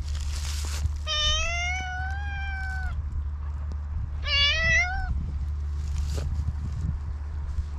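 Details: A black stray cat, filmed outdoors on a GoPro, gives two clear, drawn-out meows. The first lasts about two seconds and the second about one second, both with a slight rise. A steady low rumble continues throughout.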